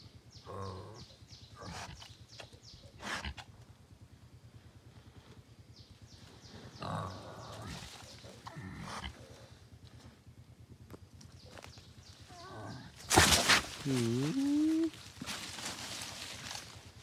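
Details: Piglet of the wild boar with scattered soft grunts, then a sudden loud burst and a quavering, rising-and-falling squeal near the end, over a continuous low hum.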